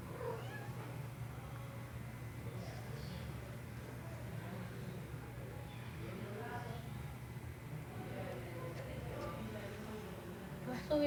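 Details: A female domestic cat gives drawn-out, wavering meows toward a male cat sitting up above her, communicating with him.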